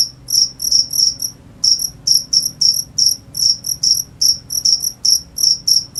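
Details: High shrill cricket chirps in uneven groups of two or three pulses, a short pause after the first second, faint low background hum.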